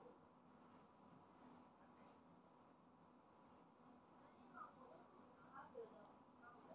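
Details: Newly emerged two-spotted cricket (Gryllus bimaculatus), a species of Okinawan parks and dry grassland, gives a very loud chirping song, a fast run of high, clear "piri-piri" pulses repeating without pause.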